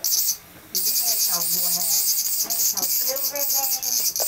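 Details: A cicada in Japan, in August in summer, in a spot with many trees, gives a loud, steady, high-pitched buzz that breaks off briefly, with a woman talking over it, comparing it with Vietnamese cicadas.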